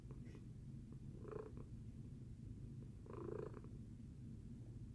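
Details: After breakfast, a housecat named Tacy purrs in a continuous low drone. Two louder, airier swells arrive near 1.4 and 3.3 seconds as the rhythm shifts with breathing.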